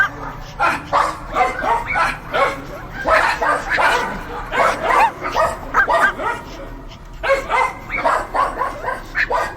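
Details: Several dogs barking continuously, dense overlapping barks and yaps several per second with brief pauses, bright harsh bursts throughout.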